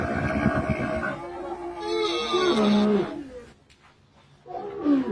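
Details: Camel roar, hoarse and rising, with a gurgling pulse at the start, a brief quiet pause, then another strained bellow at the end.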